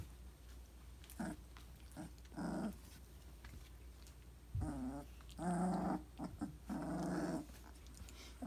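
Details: Three-week-old Briard puppies growling indoors: short rough bursts with layered harmonics, clustered in pairs and longer rumbling runs, quiet gaps between, a steady low hum underneath.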